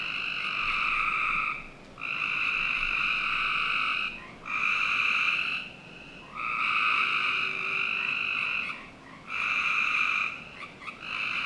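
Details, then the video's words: Frog chorus at night in summer, recorded in a Northern Virginia backyard: loud, buzzy trills in bursts of about two seconds, five bursts separated by short quieter gaps, with a constant soft hiss behind. "Frog Night 1"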